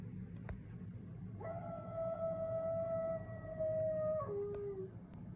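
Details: A pet dog on a leash in a front yard howls one long steady tone for about three seconds, then drops to a lower short ending; low background rumble throughout.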